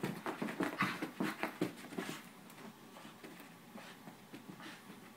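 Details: A seven-month-old puppy beside a thirteen-year-old dog inside a room; a cluster of whiny, nasal whimpers and panting puffs over the first two seconds, then fainter breathy sounds trailing away.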